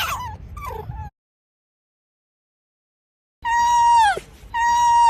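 A fox gives a few quick yelps, then long, steady, whining howls that sag downward at the end.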